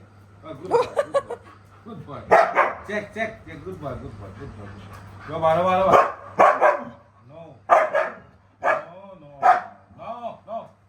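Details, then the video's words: A Siberian Husky named Winter has an argument with his owner. He answers with harmonic, moaning yowls and short woo-like bursts that overlap and trade off with the owner's voice. "Winter the Husky and his father(owner) have an argument"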